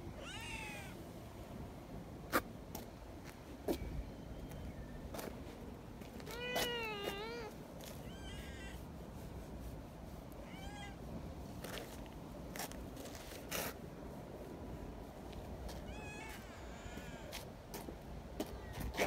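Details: Young community kittens playing happily beside a milk-tea coloured cat outdoors give scattered short harmonic meows, some arched and wavering, spaced irregularly over the clip amid frequent sharp clicks and taps and a steady low background rumble.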